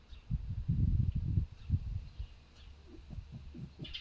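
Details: Low pig-like grunts from a pet fox rescued from a fur farm, in strong wind: a loud cluster of rough, deep grunts at the start, then softer scattered grunts, with faint high chirps in the background.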